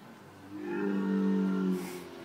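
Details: A camel making a funny noise: one drawn-out, low, droning moan with strong harmonics that swells over about a second and then fades, with a faint hiss toward the end.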